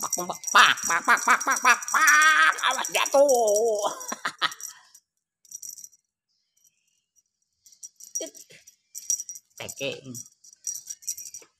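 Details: Hungry cats at feeding time let out a run of loud, wavering meows that rise and fall in pitch over the first four seconds, then quieter rattling and rustling follow with a few faint cries.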